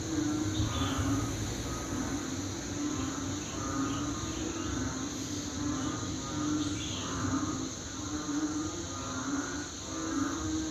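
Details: Banded bullfrogs calling very loudly, sounding like a rice-field chorus: low droning notes repeated about once a second, overlapping into a steady pulsing chorus with a constant high insect-like hum above.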